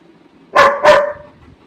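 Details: Labrador Retriever giving a double bark, two quick loud barks with a drawn-out whining tail, while a person tells it to be quiet.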